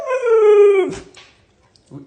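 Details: Pet Siberian Husky indoors howling in protest at being told he must go on a diet; one smooth, slowly falling tonal howl of about a second, then quiet and a brief low whine at the end.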